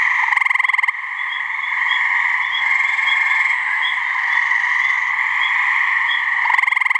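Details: Gray treefrog (Hyla versicolor) mating call, one of a couple of frogs at a New Hampshire swamp. Short, loud, rapidly pulsed trills open and close the passage over a steady, dense background chorus of higher ringing calls.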